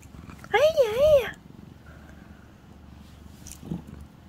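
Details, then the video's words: Calico house cat, annoyed while being brushed, gives one loud wavering yowl that rises and falls twice over about a second, then quiet indoor room noise with faint murmurs. "까칠한 고양이 빗질하다 혼쭐 난 집사"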